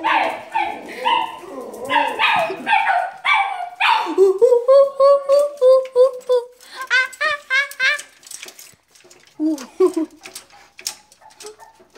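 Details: Dogs crying in response to ape sounds. The clip opens with throaty vocal sounds, then has a drawn-out, wavering tonal cry for several seconds, followed by short broken whines and yelps. The setting sounds like a small indoor room.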